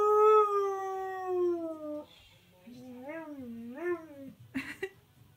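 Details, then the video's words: Husky/Malamute singing to TV adverts indoors: a long falling howl, then two shorter arched, wavering howls, ending with a brief noisy burst. "Husky/Malamute Refuses to Stop Singing"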